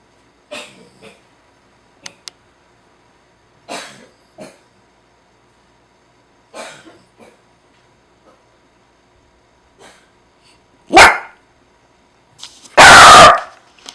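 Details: Jack Russell Terrier named Tamao snoring in his sleep indoors: rasping, snorty breaths in short clusters every one to three seconds, ending in two much louder harsh bursts.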